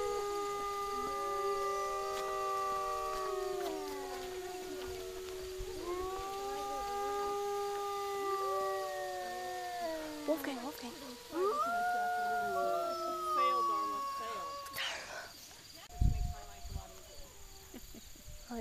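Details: Several captive wolves at Wolf Park howl together on 11 September 2010, overlapping long steady tones that bend and slide, some dropping in pitch at their ends, with a brief burst of noise and voices near the end.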